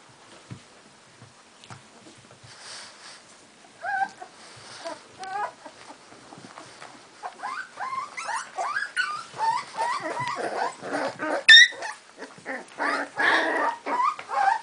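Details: Cardigan Welsh Corgi puppies of the Game of Thrones litter in Sweden, 22 March 2015, squabbling indoors after visitors left; high whiny squeals and yips rising and falling in quick irregular bursts, growing louder and busier toward the end.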